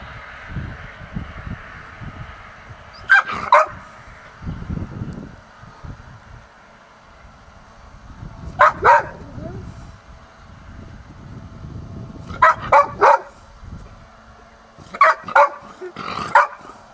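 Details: A Golden Retriever in Hokkaido, excited at sensing its owner's presence, barks in short bursts of two or three sharp, full-voiced woofs, pausing between volleys.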